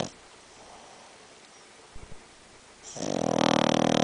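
A Boston Terrier gives a loud, rattling snore that starts abruptly after a near-silent stretch.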